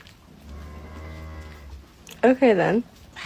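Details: A domestic cat gives one loud meow, about half a second long, its pitch rising and then falling, after a steady low hum in the background.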